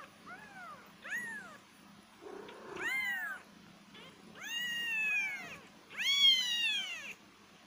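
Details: Kittens meowing with short high mews, then long, loud, bowed cries that swell and fall away, one scratchy noisy burst in between, over a low steady hum.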